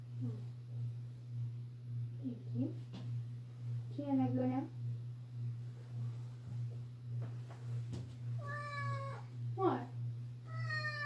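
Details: A pet cat indoors in a small room meowing loudly, several drawn-out harmonic meows rising and falling, the last few higher and stronger, over a steady low hum.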